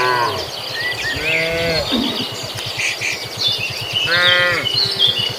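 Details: Tame cattle roaming a field as they head to the barn, grazing: several short and drawn-out moos from the herd, with steady low rhythmic thumping and scattered bird chirps behind them.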